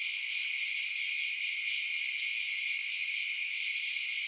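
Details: Short stretch of crickets chirping at night, a uniform high-pitched shimmering drone of overlapping trills without pauses.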